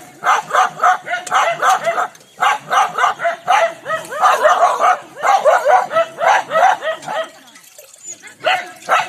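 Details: Angry village dogs in India fighting, with a fast barrage of harsh overlapping barks and snarls, several animals at once, easing briefly near the end before another burst.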